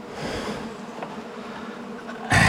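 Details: Honey bees pouring out of a long-time colony in a house wall during a cutout, evening; a low steady swarm hum, ending in a sudden loud rush of noise.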